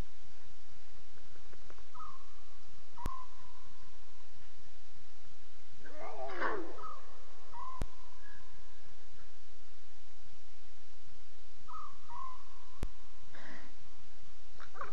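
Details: Lion cubs calling at 2:40 a.m. on 5 October 2016: a loud, harsh, wavering mew near the middle, with fainter cries later, over steady whistled tones that repeat in the background.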